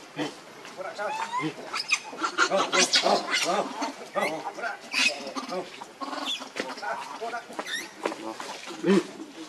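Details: Monkey named Rainbow, very angry while protecting Lucie from Kachoy; dense run of harsh, noisy screeching bursts packed close together, with a few brief squeaks rising near the end.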